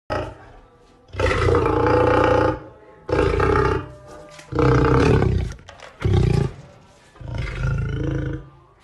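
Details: Lion in Addo Elephant National Park, South Africa, giving a series of five loud, deep, rough roaring bursts, each lasting about one to one and a half seconds and separated by short pauses, with a rumbling low end throughout.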